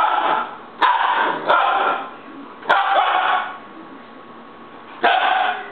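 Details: Siberian Husky puppy throwing a fit, giving a run of harsh, drawn-out whining yells of about a second each, then a pause before one final loud outburst.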